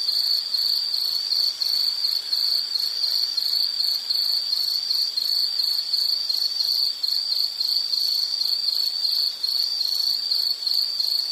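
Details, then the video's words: Relaxing nature recording of an insect: unbroken high-pitched chirping trill, pulses steady and rapid throughout, occasional slight dips in loudness, no birds, water or voices. "Nature Sound of nature sounds scenery L · insect"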